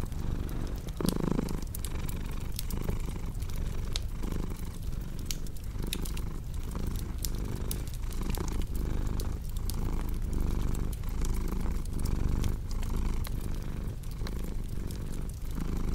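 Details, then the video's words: Domestic cat purring steadily in a low, rumbling drone that pulses with each breath about every two-thirds of a second, mixed with the sharp pops and crackles of a cozy fireplace. "Purring Cat with Cozy Crackling Fireplace Sound"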